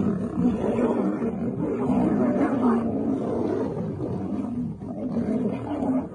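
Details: Female lion mauling a male, with dense, continuous rumbling snarls and harsh growls that hold a steady loudness throughout.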